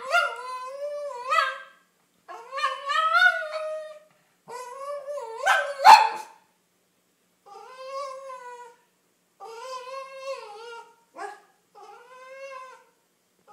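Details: Snickers, a female Cavalier King Charles Spaniel wanting a car ride, makes a string of short whimpering whines and yips, some rising at the end, with brief pauses between them.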